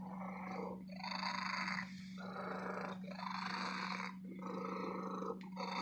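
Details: Purring of a contented female domestic cat in an antique store, loud and continuous; three long raspy breath cycles of roughly a second each separated by short dips, with a steady low hum beneath.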